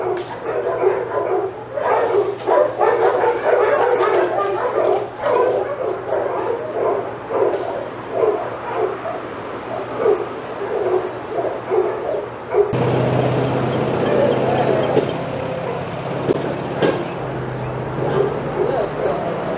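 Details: Excited senior dogs in an outdoor sanctuary yard at Old Friends Senior Dog Sanctuary as another dog, Titus, walks by. Rapid overlapping barks and yips, then a louder broadband rush of noise under continued barking in the second half.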